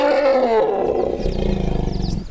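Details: An African savannah elephant gives a roar-rumble combination call, a loud, harsh roar sliding into a deep, pulsing rumble; roar-rumbles are the most common such combination call in this species.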